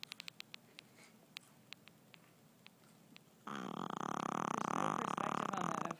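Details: Stella, a 5 lb Shih Tzu, snoring hard while asleep after a long day with no naps; soft clicks in a quiet room, then one loud, rasping, fluttering snore breath lasting about two and a half seconds.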